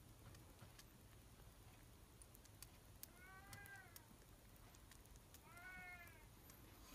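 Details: Happy kitten being given milk to drink indoors: two short, high, arched mews, one at mid-clip and a second slightly louder one near the end, over soft clicking and patter sounds.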